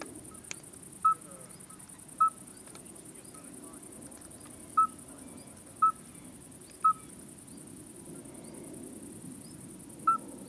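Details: Common midwife toad (Alytes obstetricans), call.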